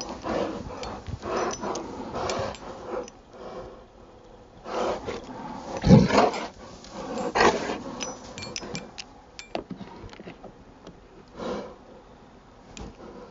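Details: Rottweiler playing in the snow in Maryland on a Saturday afternoon, December 19, 2009; rough, breathy bursts and low growly huffs come in irregular clusters, with one louder grunt midway, among rustling and crunching noises.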